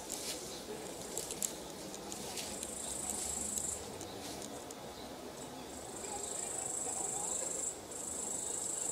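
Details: Grasshopper chirping on an evening summer walk at sunset among leafy vegetation: a high, hissing, continuous shrill buzz that swells in long bursts of several seconds, with a steady low rustling background.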